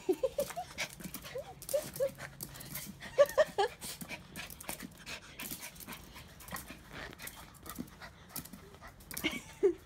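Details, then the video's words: Several bouncy little fox-like pet dogs at home, eager for dinner, give short high whines in bursts over the first few seconds and again near the end, with pattering nail clicks and soft shuffling in between. "Happy little foxy dogs want dinner"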